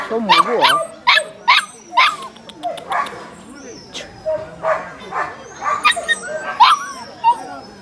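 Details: A litter of 30-day-old Labradors brought to a rural dog market by an older man. Short, piercing yelps come in clusters amid nearby voices and some whining. Quieter barks and market chatter follow.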